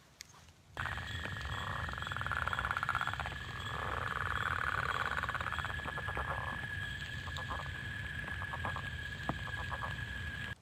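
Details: A leopard frog's spring call: a rough, rattling snore of rapid pulses, like a wet finger rubbed on a balloon.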